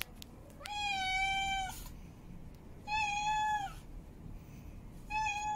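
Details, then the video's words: Female cat in heat mate calling with three long, steady, harmonic meows about two seconds apart, each held nearly a second before dropping off, over a quiet background. "Female Cat In Heat Meowing Mate Calling"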